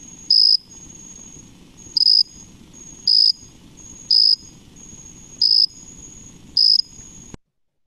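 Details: A jumping bush cricket (Orocharis saltator) on a warm late-summer evening in the Mid-Atlantic region gives its song: loud, single high peeps, each a short pure note, spaced about a second apart.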